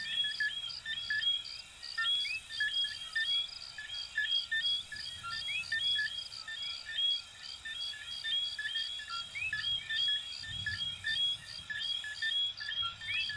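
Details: Many coquí frogs, the little frogs of Venezuela and Puerto Rico, calling together: a steady stream of high chirps and rising two-note whistles repeating about once a second over a humming background, with a low rumble near the end.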